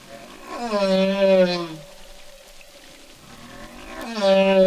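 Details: Single humpback whale song with a rich, harmonic moan that slides down and holds, a low steady hum between phrases, then another rising moan starting near the end. Faint background hiss.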